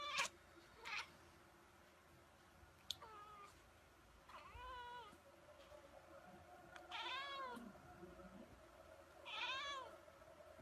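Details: Domestic cat talking with its human, from a compilation of cats yelling: four drawn-out, arching meows spaced a few seconds apart, rising then falling, in a quiet indoor room with soft background hum.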